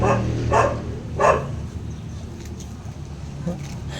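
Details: Hungry puppies of the dog Zoey crying: two short, loud, harmonic yelps about a second apart, then quieter whimpers, over low room hum with a person talking nearby.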